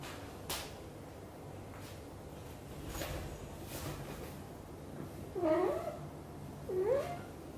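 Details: Blue golden British Shorthair mother Xaxa grooming her tiny kitten Piano indoors and talking nonstop; after a quiet stretch with faint rustles, two clear wavering meows follow about a second apart, each bending upward then down.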